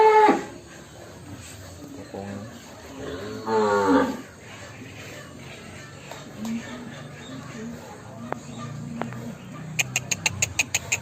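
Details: Huge fattened cattle, over one ton, being led out of a large pen in Indonesia, lowing once with a drawn-out harmonic moo near four seconds amid a low murmur of people, background music and sharp clicking sounds at the end.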